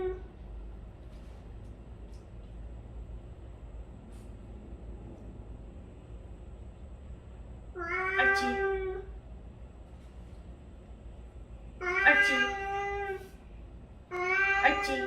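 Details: Recorded cat meows played indoors as a trigger stimulus during dog barking training; after a quiet stretch come three drawn-out, harmonic meows, the last two close together, each about a second long.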